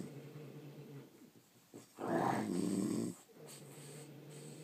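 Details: One long, harsh, rattling snore from sleeping French Bulldogs, loud and gravelly for about a second, set between quiet, wheezy breathing.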